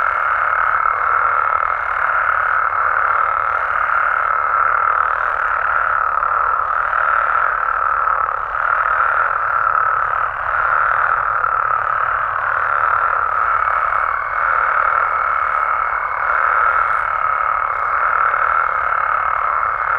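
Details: Frogs and toads calling at night in Mexican amphibian habitat: a dense, unbroken chorus of overlapping croaks and trills forming a steady mid-pitched roar, with a thin sustained high tone through much of the recording.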